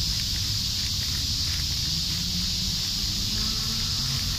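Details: Japanese cicadas singing as one continuous shrill, even hiss with no pauses, over a low background rumble outdoors.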